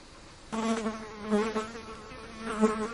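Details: Several flies buzzing around a bin: a low, droning hum with rich overtones that starts abruptly after half a second, then swells and fades as the flies circle, with no other sounds.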